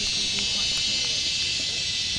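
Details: Insects on a mountain at Wat Phrathat Doi Suthep, Chiang Mai, northern Thailand, keep up an unbroken, shrill buzzing drone as mating calls, with answering calls; faint people talking underneath.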